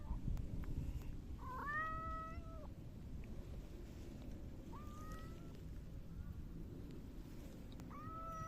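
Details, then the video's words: Rubbing against someone on 12 August 2024, a silver tabby cat makes three meows: a long wavering one, a shorter rising one, then a brief meow cut off at the end, against constant low-pitched room rumble. "サバトラ 今日のスリスリと鳴き声"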